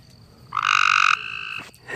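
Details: A frog calling at night in a yard, a male seeking a mate: one loud buzzy, rapidly pulsed trill lasting about half a second, trailing into a softer fading buzz, with low background hum.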